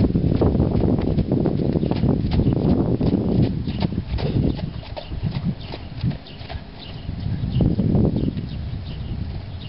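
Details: Hoofbeats of a four-year-old stallion: dense, low, thudding strikes at a quick pace, about three to four per second, strongest early on, easing midway, then building again.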